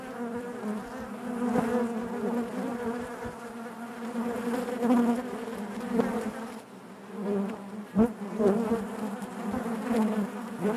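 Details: Many honey bees droning inside the hive, a continuous layered hum that wavers in pitch and volume, briefly dipping then returning, with a few crisp knocks near the end.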